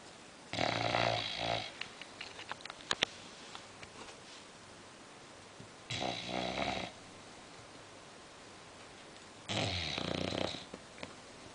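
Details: English Bulldog female sleeping indoors, snoring in loud rattling, breathy bursts of about a second, three snores spaced roughly four to five seconds apart with quiet breathing between.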